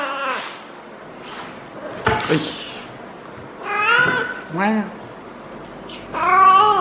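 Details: Female feral cat in her first heat cycle, caterwauling while being petted and rolling indoors. Drawn-out, wavering harmonic wails come in four separate bursts, some rising then falling, with a brief sharp knock between them.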